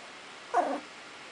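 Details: Two-week-old Icelandic Sheepdog puppies learning to play and bark, indoors; one short, mid-pitched yelp rises out of quiet room hiss and fades within a third of a second.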